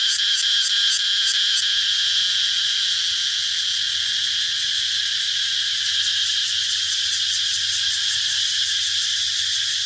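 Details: Shrill cicada drone with brief bursts of quick pulses at the start and again near the end, a steady high buzz in between.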